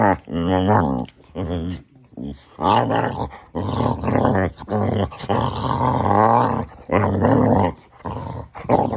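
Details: Samson, a Boxer dog in a small indoor room, producing a long chain of funny grumbling growls and moans, each wavering in pitch, broken by brief breaths and pauses.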